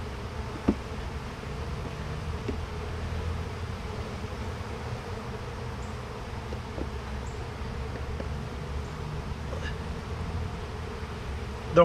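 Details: Steady colony drone from an opened bee hive during inspection: a low, even hum with stacked tonal bands and a few soft ticks and taps from handling frames.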